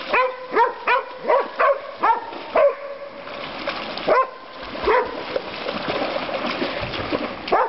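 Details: Female dog Dokota barks by the Stanislaus River at Board's Crossing, California, on Father's Day; a quick run of seven harmonic barks in the first three seconds, then scattered fainter yips against a constant rushing background.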